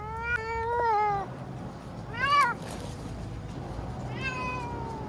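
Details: Frightened ear-tipped TNR cat named Chanta, formerly Nyaa, crying while confined in a bathroom for shelter from Typhoon No. 10 in Okinawa, September 2020; three drawn-out harmonic meows, the first long and level, the next two shorter and falling.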